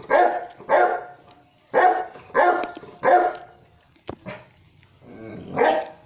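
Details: Saint Bernard named Sultan barking in loud, heavy bursts about every half-second to second, with a short pause and a sharp click partway through before a final bark.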